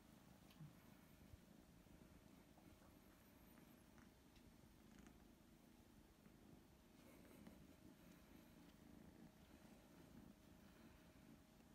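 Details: Kitten Dart, three weeks into living with Great Dane Penny and now treating her as his mother, trying to feed from her; a soft, steady low rumbling purr runs unbroken throughout, quiet indoor room.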